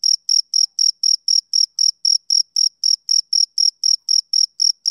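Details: Shrill, evenly spaced chirping from a male cricket, around twenty bright pulses in five seconds, each with a faint higher echo of its tone, steady in loudness, with nothing else audible.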